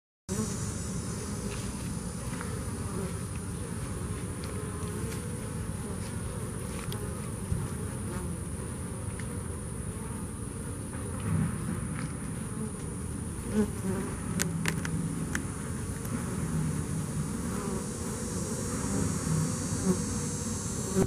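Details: Bees that survived Hurricane Harvey, a steady dense low hum of many wings droning without a break, with faint scattered clicks and ticks above the drone.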